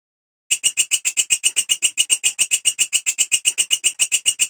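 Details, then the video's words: Belalang kecek grasshopper calling: after a short silence, a sharp, scratchy series of regular pulses begins, fast and unbroken, used as training audio for white-rumped shamas and flycatchers. "Suara Belalang Kecek / Walang Kerik"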